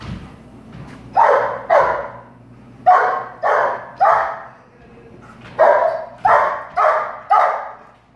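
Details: A chubby two-year-old female black Labrador named Prada, excited by balloons, barks in quick pairs and triplets: strong, coarse barks in clusters separated by short pauses, with a faint low hum beneath.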